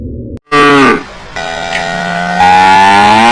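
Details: A cow outdoors gives a couple of long, low, harmonic moos, the second rising slightly in pitch as it draws out.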